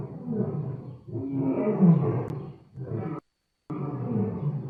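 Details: Lion giving deep, rumbling roars in two long rough phrases, with a brief cut of silence before the growl resumes.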